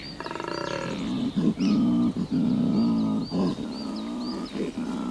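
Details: A large male koala bellows in spring at the start of breeding season at Cape Otway, Australia: a deep, rasping, pulsing, snore-like roar used as a mating call.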